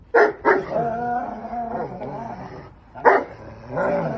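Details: Two dogs playing together, a 3-year-old English mastiff and a 9-month-old Belgian malinois, at play like tug of war: a few sharp, loud barks near the start and again after three seconds, with music running between them.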